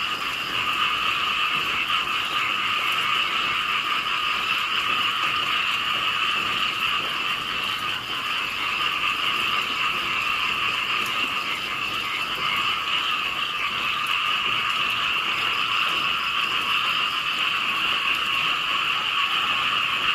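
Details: Many small frogs croak at once, forming a constant, loud, shimmering drone that holds steady for the whole stretch with no pauses.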